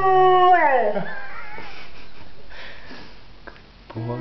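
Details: Leo, a pet pointer dog, sings: a steady, clear tone held for about half a second, then sliding smoothly downward and fading, followed by quiet background hiss and a few faint soft sounds.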